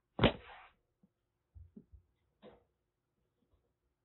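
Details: Caged calico rescue kitten Aki, around a month and a half old, Kagoshima, Japan, giving a threatening hiss: one harsh explosive spit, followed by scattered soft knocks and a faint second breathy burst.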